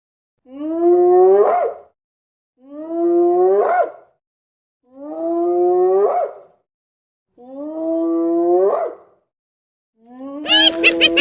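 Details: Hyena giving a series of long, rising, harmonic whoops, each about a second and a half long and repeated roughly every two and a half seconds, ending in a harsher, noisier cry.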